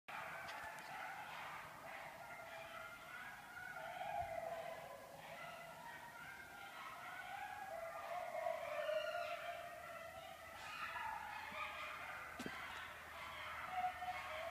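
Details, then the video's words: Several coyotes chorus at night behind a house during their annual mating ritual, 6 March 2014. A wavering tangle of overlapping howls and high yips swells and fades, with pitch sliding up and down throughout. "Creepy Coyotes"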